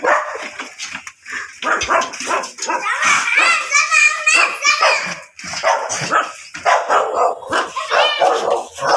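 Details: Miniature dachshund at a mating session in Baybay Lopez, Binmaley, Pangasinan, Philippines, giving rapid runs of sharp barks and higher yips, dense and overlapping, with human voices talking in between.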